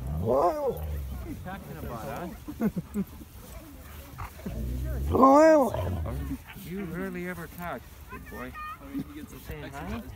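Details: Husky and Malamute dogs meeting in the snow, giving drawn-out, wavering howl-like vocalizations that rise and fall, one loud burst mid-clip, mixed with human voices nearby.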